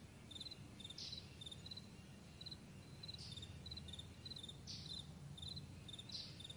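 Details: Crickets on a vast meadow in the morning, chirping in short high pulsed bursts about twice a second, with brief brighter rasping notes every second or two over a low rumble of background noise.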